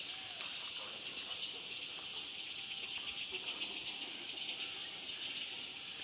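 A dense chorus of insects, a steady high shrill hiss with soft pulsing swells.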